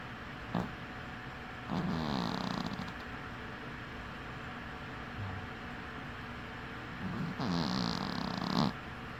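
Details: A sleeping cat with one eye open gives soft, raspy snores, two faint drawn-out breaths several seconds apart, with a short sniff near the start and near the end, otherwise quiet room.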